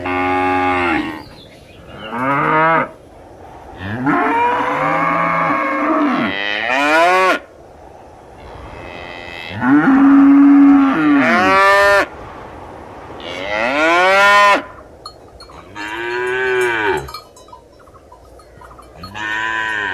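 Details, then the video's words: Cows moo again and again over twenty seconds. The long, loud calls rise and fall in pitch, some overlapping and some sharply ending, with brief pauses between them. "Realistic Cow Mooing Sound Effects"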